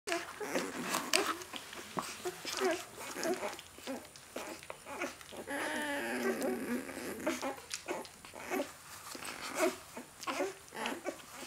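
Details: A 4-day-old Great Dane puppy gives soft, squeaky whimpers and grunts in short repeated bursts.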